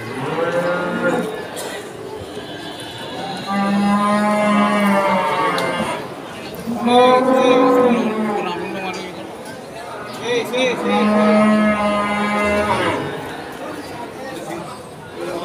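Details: Cattle just brought from the pen to the Pon cattle market in Ambarawa, Ramadan 2024: three long, drawn-out moos of several seconds each, with market chatter and voices in between.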